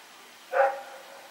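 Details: Rex, a dog running around at night, recorded on 21 September 2018, gives a single short, sharp bark with a harmonic ring, standing out against a quiet, steady background hiss.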